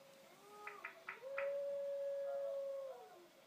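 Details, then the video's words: Female Border Collie tilting her head to howling: a steady, sustained tone that holds level for about two seconds, then slides down at the end, with a few short sharp clicks or yelps just before it begins. "Border Collie head tilt to howling"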